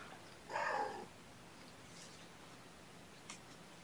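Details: Mother cat Gamora, indoors with her five young kittens, calling for the babysitter to come and give her a break: one short harmonic meow lasting about half a second, then a quiet room with a faint click.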